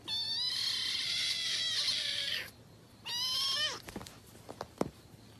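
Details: Cat giving a long, drawn-out, nasal meow lasting over two seconds, followed after a pause by a shorter falling meow, then a few faint clicks and thumps.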